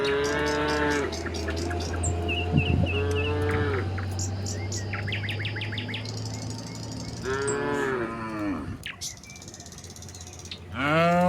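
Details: Tame cattle making their way down a hillside to the pen; a lowing moo opens, more bellows follow near the end, with bird calls, a low engine-like drone and crickets in the background.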